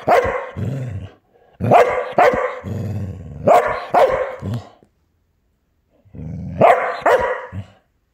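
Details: Female Border Collie showing off to her own selfie, recorded 8 January 2024: loud sharp barks in pairs, each broad and harsh with a low rumbling growl between them, bursts separated by short silences.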